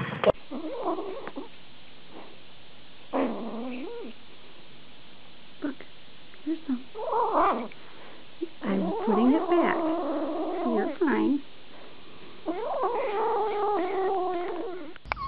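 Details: Pet cat from a funny compilation, giving a series of drawn-out, wavering meows and yowls that rise and fall, in bursts separated by quiet gaps, with short clicks and knocks between calls.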